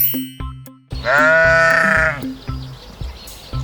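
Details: Sheep bleating as a quiz answer in a Kazakh lesson on farm animal voices: one wavering, nasal bleat lasting about a second, set over a bouncy children's music backing with steady percussion.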